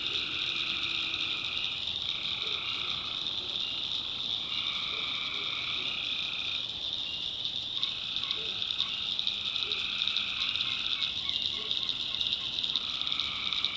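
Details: Tree frogs calling at night in a North Carolina backwoods swamp: a dense, steady high-pitched chorus, with lower pulsed trills rising and fading every few seconds and short, soft clicks underneath.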